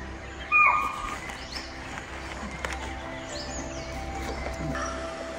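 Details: A young chital in Pench National Park, India, on a hot summer day near an artificial waterhole, gives a single sharp, shrill alarm bark while stomping with its tail raised, apparently having seen a tigress.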